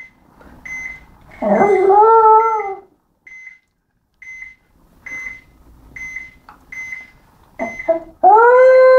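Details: Sammy, a house dog, howls twice: a wavering howl over a second long, then a rising howl that begins at the end. Short whines and regular high electronic beeps come between the howls.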